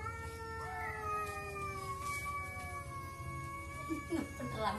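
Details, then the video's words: Cats talking to each other, two long overlapping yowls held nearly level and slowly dropping, ending with a few short choppy cries. "CAT TALKING TO EACH OTHER"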